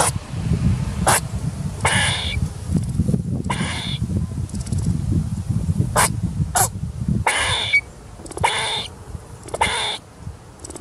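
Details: Feeding squirrel on 10/10/2019 giving repeated sharp, noisy squeaks, some in quick doubles, spaced roughly a second apart, with low rustling and rumble between the bursts.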